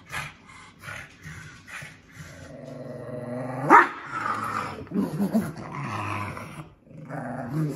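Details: A male Shih Tzu/Pekingese cross protesting his bath: a sustained low droning growl breaking into a sharp rising yelp-whine, followed by wavering grumbling whines and snarls.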